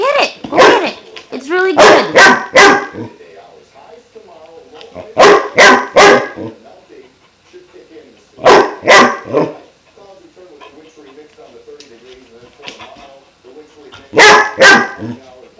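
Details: A 5-month-old German Shepherd puppy named Klaus, faced with a new water buffalo horn, lets out clusters of sharp barks separated by pauses filled with soft whimpering and low grumbling.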